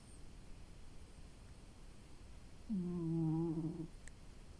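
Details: Domestic cat sleeping and resting after a long day, snoring: one drawn-out, low, wavering, slightly buzzing breath lasting about a second, over a quiet, faintly hissing room background.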